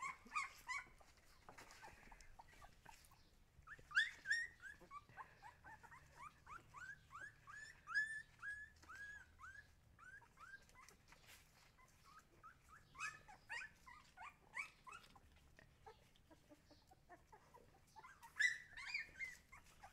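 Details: Young Siberian Huskies whimpering in a room, soft repeated squeaky whines with louder bursts now and then, several overlapping voices over a low background hum.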